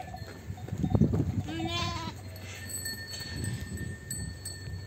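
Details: Lambs separated from ewes on a sheep farm: one short wavering bleat near the middle, preceded by knocking and shuffling noise, then a steady low hum for the remaining seconds.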